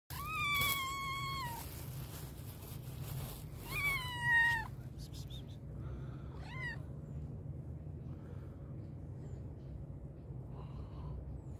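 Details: A very hungry black and white cat meows loudly: two long, bright, slightly falling meows early on, then shorter, fainter mews later, over a low steady rumble of background noise.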